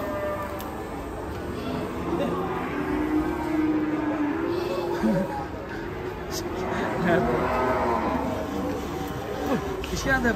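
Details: Agitated cow, angry because a rope is cinched around its neck, lows in long, wavering bellows that swell midway and again later, mixed with chatter, background music and a few knocks.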